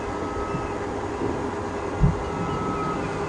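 A steady low vehicle rumble with a brief thump near the two-second mark; no animal voice is heard.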